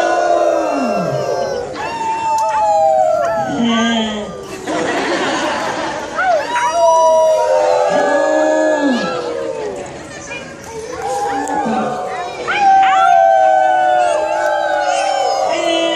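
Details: A female New Guinea singing dog, prompted to sing into a microphone, gives overlapping, yodel-like howls that slide up and down in pitch.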